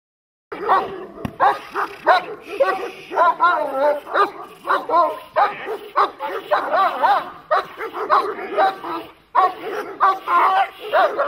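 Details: German Shepherd barking during protection training, a fast series of loud, harsh barks in bursts, roughly two or three per second with short pauses, with a man's shouted commands mixed in.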